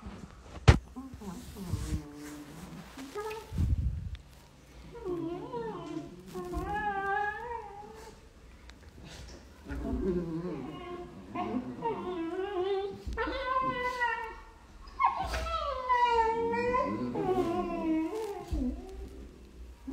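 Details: Beagle puppies at play indoors, giving a run of high, wavering whines and squeals that rise and fall in pitch, some drawn out, growing busier and louder in the second half, with soft low sounds and faint knocks beneath.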